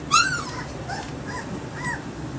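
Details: Dog indoors giving a loud high whimpering yelp that rises then falls, followed by two softer whining calls about a second apart, with low room hum beneath.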